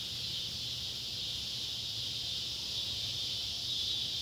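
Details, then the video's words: Summer sunset chorus of Neotibicen pruinosus and Neotibicen tibicen cicadas at an old tobacco barn, Ballard County, Kentucky, July 31, 2013: an unbroken shrill buzzing wall of sound over a soft, low background hum. "cicada sounds"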